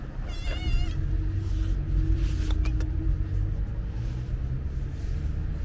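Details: A hungry calico stray cat waiting again in front of a market, uttering one brief wavering meow near the start, then a few clicks, all over heavy continuous low street and vehicle rumble.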